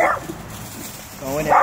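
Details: A small, fearless Dachshund gives sharp, yelping barks, telling off a full-grown Rottweiler, while people talk nearby.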